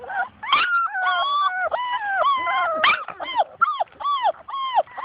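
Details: Labrador Retriever puppies playing outside and chasing their mother, giving repeated high whining whimpers and yelps that rise and fall, overlapping one another, with a woman talking nearby.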